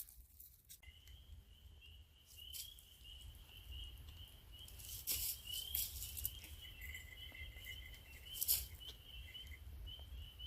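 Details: Spring peepers call from a pond and small swamp in spring woodland during fiddlehead season, a distant chorus ringing as a steady, high shimmer of overlapping peeps.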